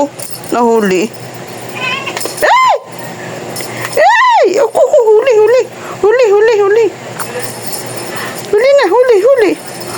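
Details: Chattering house cat producing a series of bent, wavering meows: a few sharp arched cries, then repeated trilling, wobbly calls about once a second, indoors with quiet hum between.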